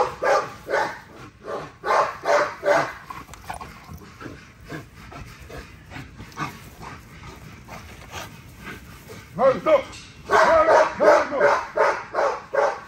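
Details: Female XL ghost tri American Bully during a workout, barking in a quick run of loud, evenly spaced barks, then a pause filled with people talking and laughing, then another burst of rapid barks.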